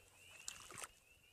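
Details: At night in early spring, after snow in April, a distant chorus of spring peepers near a pond forms a thin, high, steady piping tone, broken by nearby rustling.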